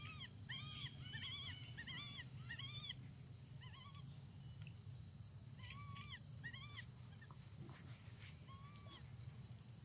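A baby monkey gives repeated high, arching coos, calling for its mother.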